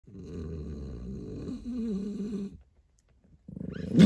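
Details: An outraged French Bulldog lets out a low, snorty grumble that rises into a wavering, whiny complaint.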